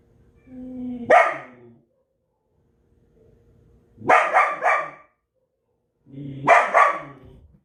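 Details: Belgian Malinois barking forcefully, each burst preceded by a rising growl-like whine before a harsh bark; three bursts spaced about three seconds apart, the later ones doubled or tripled.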